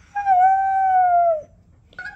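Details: Siberian Husky Oreo, urged by its owner to say Radhe Radhe, answers with a smooth, level howl held for over a second. The howl sags slightly in pitch at the end, and a short second vocal onset follows.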